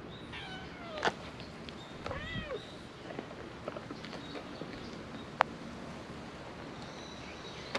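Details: Stray cats on a cat island filmed outdoors; a few short, thin meows with rising and falling tone early on, then quiet background with occasional clicks.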